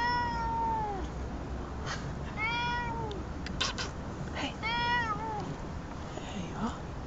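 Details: Persian blue cat resting near a workplace, filmed on a phone: three clear meows, each a falling tone with rich harmonics, roughly every two seconds, while a man speaks softly to the cat in between.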